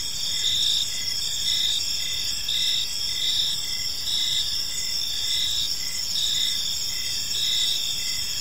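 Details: In a park at evening, crickets keep up a high, ringing chorus of stacked tones, pulsing nearly once a second, over a hushed low background hum.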